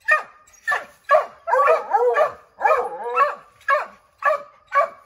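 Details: Redbone Coonhound pack treeing a chipmunk in an oak, barking to drive it out: sharp, evenly spaced barks about twice a second, broken by two longer, wavering bawled howls in the middle.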